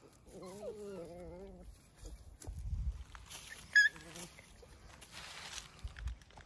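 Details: A four-year-old female Central Asian shepherd dog named Efa, shown with a dachshund, growls a warning of displeasure: a low, harmonic-rich snarl lasting about a second, then rustling and a brief sharp squeak.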